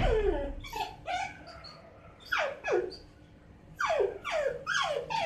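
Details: A six-month-old Miniature Dachshund puppy cries at night in high, descending whines, wanting to be let outside.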